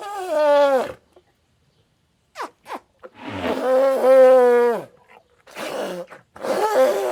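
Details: Elephant giving loud, harmonic calls that slide downward. A brief call is followed by a longer, sustained one of about two seconds, then short bursts at the end.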